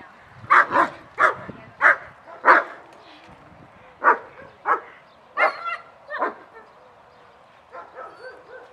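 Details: German Shepherds at a social training class, barking with excited reactions as the class starts; loud broadband barks in a burst of five, a pause, then several more barks of falling strength, with faint voices in the background.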